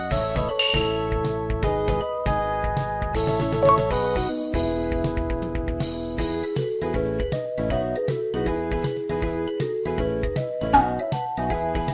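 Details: Bright keyboard and piano music with tinkling chime accents plays throughout, and no animal voice can be heard.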